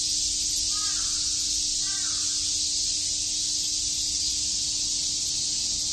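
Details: Cicadas chirping on a summer day in Shakujii Park, Tokyo: a dense, unbroken high buzzing chorus that fills the whole clip, with two short hoarse caws from a crow near the first and second seconds.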